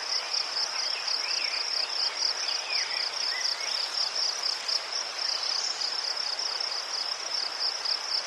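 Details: Chirping crickets in Ukraine: a continuous shrill pulsing band of rapid beats, with softer wavering calls beneath it early on.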